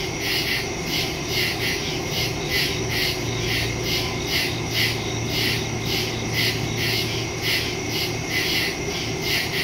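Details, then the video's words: Crickets in the woods at night, recorded on September 2, 2023 with a phone and stereo microphone: a dense chorus of high, pulsing chirps, about two beats per second, over a steady shrill trill and a low background hum. "Crickets in the woods at night"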